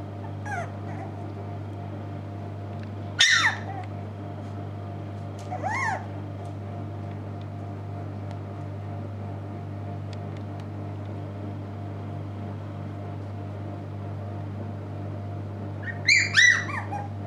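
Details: Puppies at a Shiba Inu and Samoyed breeder in the Netherlands on November 6, 2018, awake longer than before. Three separate sharp, high yelps break a steady background hum, the last a quick double squeal near the end.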